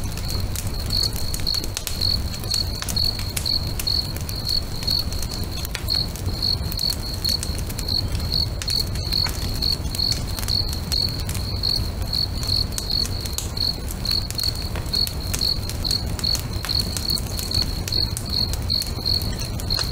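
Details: Crickets singing beside a lake at sunset next to a crackling bonfire; a steady high-pitched stream of rapid pulsed chirps runs throughout, over sharp pops and snaps from the fire and a low rumbling background.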